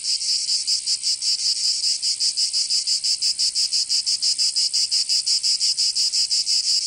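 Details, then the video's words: Summer cicada chorus from Provence in the south of France, a harsh, sizzling high-pitched drone that pulses steadily about three times per second, unbroken throughout. "Canto Cigarra 🦗 [ Escuchar les cigarras en verano"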